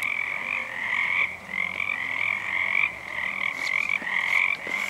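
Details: A chorus of Pacific tree frogs, many and unseen, sings on a full moon night in February 2011: rasping high croaks repeated in uneven overlapping bursts, with a few faint clicks near the end.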